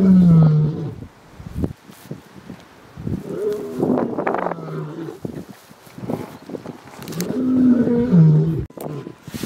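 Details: Male lion in Kruger National Park, South Africa, darker-maned, calling out while minding cubs as the lionesses hunt, cubs answering his call: deep, drawn-out moaning notes at the start and again near the end, with rustles and softer grunts between.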